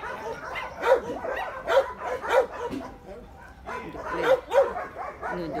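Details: A dog barking in short bursts, five or six clipped barks in two groups with a pause between, over faint background noise.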